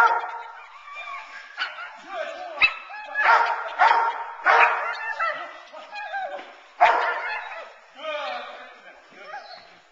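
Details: During protection training, Teal, a nine-month-old female Boerboel frustrated off the sleeve, lets out a rapid run of rough, irregular barks and yelps while a man talks over them.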